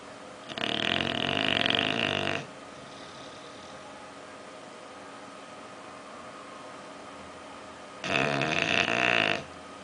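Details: Sleeping bulldog Oliver, dreaming, gives two long raspy snores nearly two seconds each, harsh and throaty with a buzzy low rattle, with a quiet pause of about six seconds between them in a calm indoor room.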